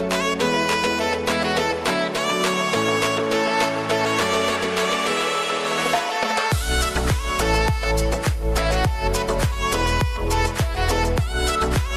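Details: Upbeat instrumental music with plucked melody and a steady bass beat that grows fuller after six seconds, with no animal voice.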